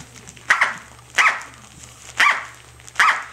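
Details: Corgi puppy named Tic-tac, six to seven weeks old, playing with her toy duck: four high, sharp yipping barks spaced under a second apart, each a short bright burst, over a faint steady hum.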